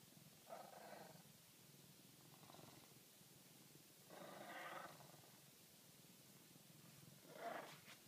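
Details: Dingo rumbling: soft, rough, low growling bursts, each about a second long, spaced a few seconds apart over a quiet, faintly hissing background.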